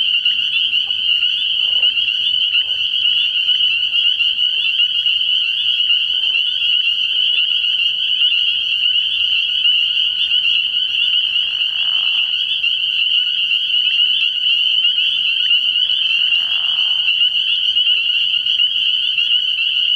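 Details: Spring peepers chorusing at a frog pond at night early in the year: a dense, unbroken wall of high, shrill peeps from many frogs overlapping, with soft low murmurs and a couple of brief rushing sounds beneath.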